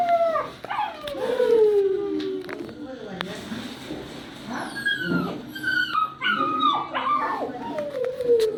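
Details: Long, drawn-out yowls from a poodle puppy, wavering and falling in pitch, mixed with higher whimpers. Human voices can be heard faintly in the background.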